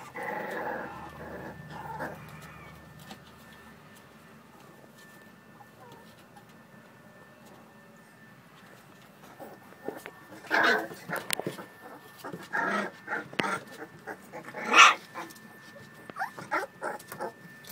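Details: American Bully puppies playing, giving scattered short whimpers and yips that bunch up in the second half, with a quiet stretch in the middle and faint handling noises.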